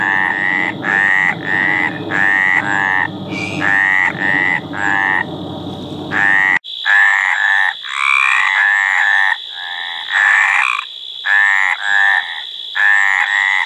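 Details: Mating calls of a Mediterranean tree frog: repeated short harsh croaks over low rumbling noise, then louder drawn-out croaks from more than one frog with a steady high whine behind.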